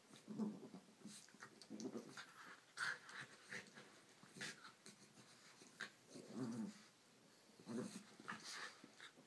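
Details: Annie, a Shih Tzu, and Waldo, a mini Schnauzer, at play. Low rumbling growls and panting breaths come in uneven bouts every second or two, mixed with scuffling noises.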